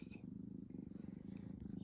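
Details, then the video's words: Indoor purring from an always-purring tabby kitten: a close, even, fast-pulsed low rumble, with a woman briefly speaking at the start. "Always Purring Mini-Me"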